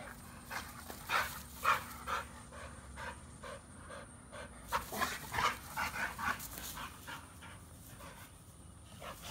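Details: Beats and Maxx, a Pitbull and an American Bully, pant in fast airy bursts, strongest near the start and again in a run from about five to seven seconds, then easing, with a soft steady hum beneath.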